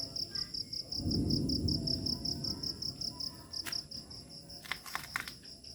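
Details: Crickets chirping in a remote village as dusk turns to night, bright high pulses repeating about three per second, with a brief low rumbling noise early on and a few sharp clicks near the end.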